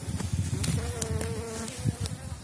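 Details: Elgon honeybee colony in an opened hive, emerging strong from overwintering and covering seven widened Warszawski frames, spring 2019; a steady droning hum with a clear mid-pitched tone, low rumble beneath, and sharp clicks from hive handling.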